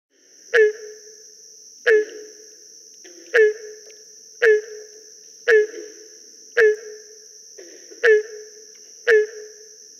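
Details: Repeated hollow barks from a Barking Treefrog, the breeding song likened to a beagle trailing a rabbit, with green frogs in the background. Eight evenly spaced resonant notes, roughly one per second, sound against a continuous thin high whine.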